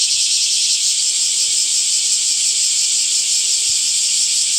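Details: Cicadas calling among summer trees, a steady, dense, high-pitched hiss-like drone with no breaks, holding an even level throughout without other clear sounds.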